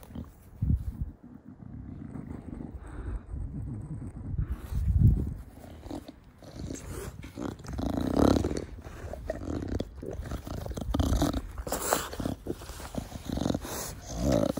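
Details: Garden play with pet Bulldog Da Vinci, whose breathing comes as deep, rasping snorts and growly grunts, rising in strength after five seconds and continuing in uneven bursts, with rustling and scuffing throughout.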